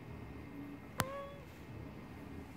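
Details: A Siamese cat, just woken from a nap, gives a brief, slightly falling meow, preceded by a sharp click.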